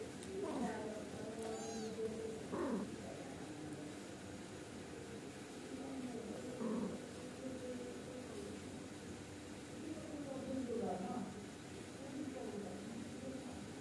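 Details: Angora kittens and their mother cat exchanging calls as she nags them to sleep and behave; short high mews and lower wavering meows come in scattered bursts every few seconds against a steady low background hum.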